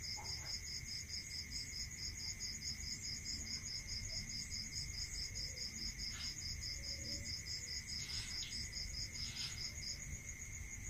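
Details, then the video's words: Night-time cricket chorus in the countryside: a long even train of fast pulsed chirps running for about ten seconds above a constant high whine, with a few faint clicks and low background rumble. "Listening to Cricket Sound"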